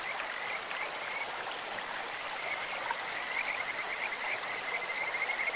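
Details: Kajika frog calling in a clear stream: a thin, high trilled note that rises and falls, beaded with quick pulses and repeated through the clip. Steady rushing water runs beneath it.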